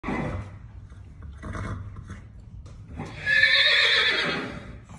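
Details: Horse whinnying: a loud, shrill, wavering neigh in the last two seconds falls in pitch, after some earlier lower snorts and rustling.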